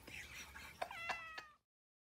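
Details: Pet cat meowing loudly indoors after waking a sleeping pitbull, hungry for food; one brief, slightly rising then level nasal meow amid room noise, ending abruptly.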